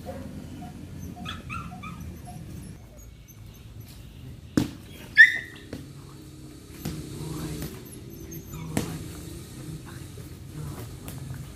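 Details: Hunter, a Belgian Malinois, during an introduction to bite work training: a few brief high, thin whines or yips, one early and one near the middle, between sharp knocks over a low background rumble.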